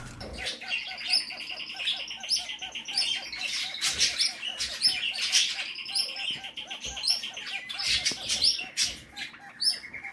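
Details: Female Kakariki parrot, a pet, showing courtship behaviour toward her owner; continuous high-pitched chattering chirps with rapid steady ticking pulses and scattered sharp clicks throughout.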